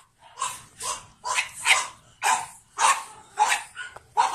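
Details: Pug born 9 April 2017, light blue collar, kept with another pug; sharp, bright yapping barks repeated about every half second in a steady rhythm, roughly eight barks in four seconds.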